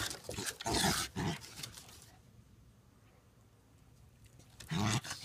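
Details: Two dogs play fighting and wrestling on a deck: short rough low growls in two bursts, one early and one near the end, separated by a quiet gap.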